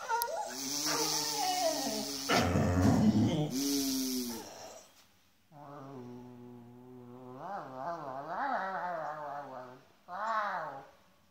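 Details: Eleven-year-old Schapendoes named Tubbie whining indoors: drawn-out, tonal moaning whines with wavering pitch, a long steady stretch then rising and falling bends, ending in a short upward whine.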